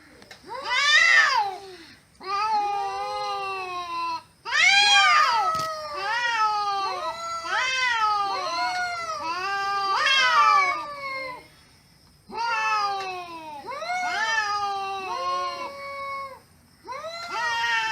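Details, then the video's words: Cats communicating with each other by meowing. Several loud, drawn-out meows overlap in bursts, each rising then falling in pitch. Short silences break the exchange about every few seconds, and a sharp click sounds near the middle. "KEDİLERDE KONUŞARAK ANLAŞMAK"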